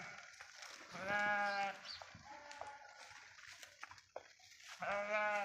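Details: Flock of sheep grazing in a forest clearing: two clear, drawn-out bleats about four seconds apart, with quieter shuffling and a faint distant bleat between them.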